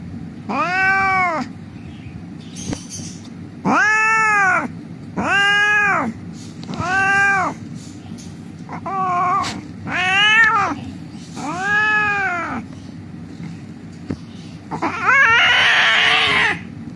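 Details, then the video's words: Crying of an injured cat lying on a street before treatment: a series of about eight arched, plaintive meows in irregular bursts, ending with a harsher, noisier cry. "The cat was lying on the street crying"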